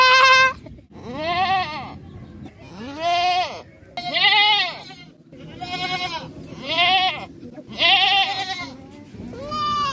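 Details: Goats bleating almost continuously, a string of about seven nasal, wavering cries of varied pitch following one another with little pause over a low background rumble.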